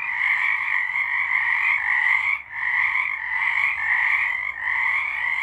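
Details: Chorus of frogs at night in March 2023, layered trills merging into a steady, shimmering drone with a brief lull near the middle.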